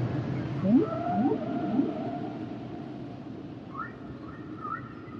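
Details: Humpback whales singing, three rapid rising whoops swept upward in quick succession, followed by level mid-pitched tones and, later, short squeaky upward chirps with a flat whistled tail, all over a soft underwater rumble.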